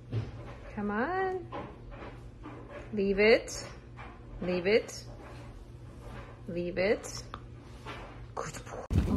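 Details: Dachshund, a playful wiener dog indoors, giving four drawn-out harmonic yelps that rise and then fall, spaced about two seconds apart, over a steady low hum, ending in a sharp clatter.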